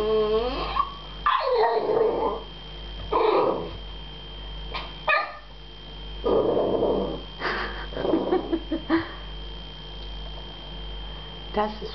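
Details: American Staffordshire Terrier named Jasper, at his first meeting with a cat, frustrated and wanting to play: bursts of high, whiny barks and yelps, some rising, coming every one to two seconds, with faint indoor room hum.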